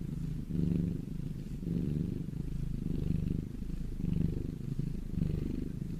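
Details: Domestic cat purr, a deep rumble that swells and fades in a slow breathing rhythm, roughly once a second, each inhale-exhale cycle clearly audible.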